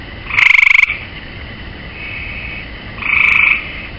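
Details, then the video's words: A gray tree frog perched on a swimming pool rail calls twice: a strong pulsed trill lasting about half a second, then a quieter buzzy trill three seconds later, with a faint sustained tone between them. "Tree Frog"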